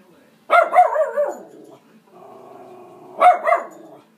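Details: Female Schnauzer at home barking at animals on the TV: a long, rough, harmonic bark burst, a pause filled with television sound, then a sharp double bark.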